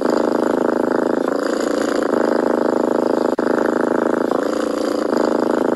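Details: Close, steady purring of a kitten described as a stray, a grainy rumbling buzz with breath-linked shifts every second or so and a brief dip near the middle, no other sounds present.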